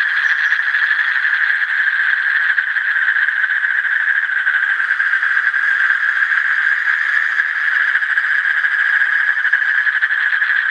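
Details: An Asian common toad gives a long, uninterrupted churring trill, fast pulses merging into a constant high buzz that holds level for over ten seconds.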